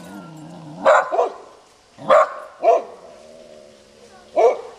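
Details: Canyon house dogs, three in all, announcing a passer-by with loud, spaced barks, some doubled, a second or so apart, over a low steady hum.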